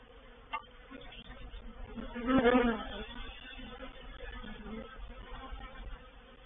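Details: Reproductive swarm of honey bees moving into a bait hive (swarm trap) at Painted Peacock Manor, 04/07/21; a low, steady droning hum runs throughout, swelling into a louder, brighter buzzing burst near the middle before settling back.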